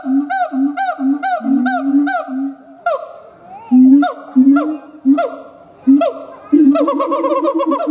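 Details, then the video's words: Howling siamang gibbon: spaced, upward-swooping booming hoots broken by short silences, then a faster chain of clipped barks at the close. "Siamang Gibbons monkay howling"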